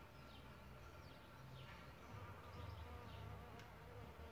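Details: At a bug hotel where solitary bees nest, low wingbeat hums come and go in short bursts, thickest in the second half, over a soft steady background hiss.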